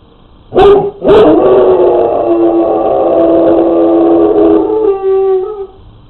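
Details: Pet hound dog home alone, recorded on a pet camera before napping on a chair arm: two sharp barks open, followed by a long, slightly rough, sustained howl that tapers and drops in pitch at the end.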